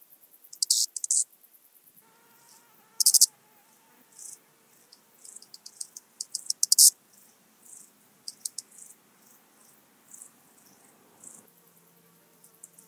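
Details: Stridulation of an eastern banded grasshopper, Zalahalap, Hungary, 18 July 2022: loud rasping bursts near the start and around three and seven seconds, with scattered quieter ticking phrases and a faint low hum in the background.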